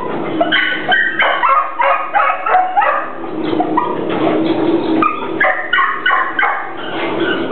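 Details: A hungry Pit Bull keeps up a fast, uneven stream of high, harmonic yelps and whines, nearly continuous across the stretch, with cries pitched up and down between bursts.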